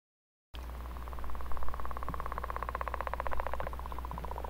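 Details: Daytime mating call of a male leopard frog, southern Manitoba, April: a long, drawn-out snoring trill of fast, regular pulses lasting about three seconds, then softer pulsing, over a steady low hum.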